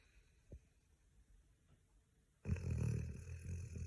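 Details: A Golden Retriever, exhausted at the end of the week and crashed asleep on a couch, lets out a loud, rough, low rumbling snore after a quiet pause.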